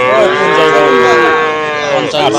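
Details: Cattle at the Hasukhali market on a Friday in 2025, a trading day for cows. A single steady, rich moo holds throughout with a slight waver and dips briefly near the end, with faint crowd noise behind.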